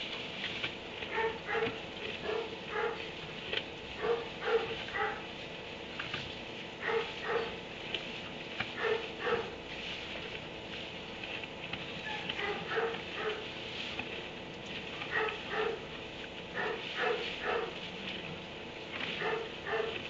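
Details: Dog shut in a kennel inside a barn at 3am, barking in irregular bursts of two or three sharp, mid-pitched barks, about two per second at their quickest, with short pauses, over a steady background hiss and patter.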